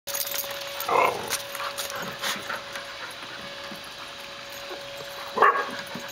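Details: Four dogs, a Siberian husky, a terrier mix and two mixed breeds, playing in a yard in May 2012. Two short, sharp barks sound about four seconds apart over a steady background hum.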